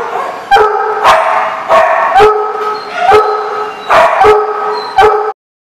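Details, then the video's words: Dogs at a kennel lot, 25 July 2014: steady harmonic howls and whines, repeatedly cut by short loud barks about every half second, then abrupt silence. "The Barking Lot"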